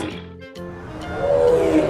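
A tiger's deep, rumbling roar swells louder toward the end, with music playing underneath.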